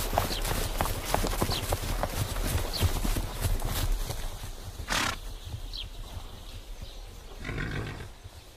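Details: Horses galloping outdoors: rapid, irregular, thudding hoofbeats fill the first five seconds, then thin out. A sharp noisy burst sounds near the middle, and brief high chirps rise here and there above the outdoor ambience.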